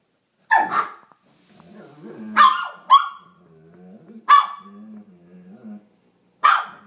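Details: Two dogs, Boo the teacup Maltese and Mischka the Bernese mountain dog, trading sounds as if conversing: sharp barks spaced a second or two apart, with low moaning growl-like vocalizations between them, in a quiet room.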